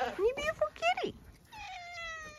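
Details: A farm cat in County Kilkenny, Ireland, is greeted by a woman. After her sing-song words comes a drawn-out, thin meow that slowly slides downward in pitch for about a second, with quiet farmyard background.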